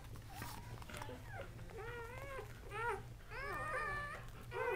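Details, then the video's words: Three male Kuvasz newborn puppies, born October 30, 2008, whimper and squeal in a series of thin, rising and falling cries, several overlapping, with a steady low hum in the room. "Kuvasz Newborns"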